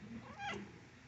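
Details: Mother cat with her kittens at home; one short, soft meow rising then falling, under a second long, with a person's voice talking just before.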